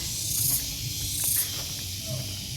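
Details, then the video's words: Cicada chorus greeting arrivals in the parking area of Mercusuar Cafe & Resto, Dago Pakar, Bandung: a steady, hissing high-pitched drone with two brief louder shrill surges, over low rumbling background noise. "Amazing banget, begitu keluar mobil langsung disergap suara tonggeret yang dirindukan lah."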